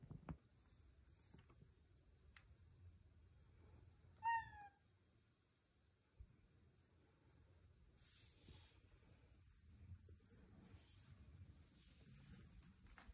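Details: Luna Bear, a cuddly female cat with big blue eyes, gives a single short, clear meow bending down in pitch midway through an otherwise quiet indoor stretch, with faint rustling and handling noises around it.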